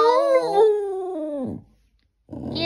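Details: Boston Terrier howling along to the Gilligan's Island theme song indoors: a drawn-out, tuneful howl with rich harmonics that wavers and then slides downward, followed by a short pause and a burst of rough, noisy sound.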